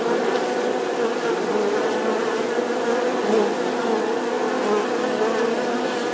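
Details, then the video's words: Continuous droning buzz of bees, a thick steady hum with a bright band near 500 and fuzzy overtones, slight swells in loudness but no pauses across six seconds. "Âm thanh con ong|The sound and picture of the Bee"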